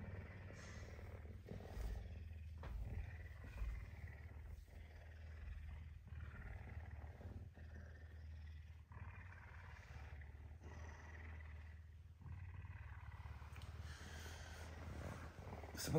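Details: Affectionate pet puma wakes early on a Tuesday morning, hungry for breakfast. It gives continuous low, vibrating purring throughout, with soft breathy rasps and light rustling. A man speaks briefly at the end.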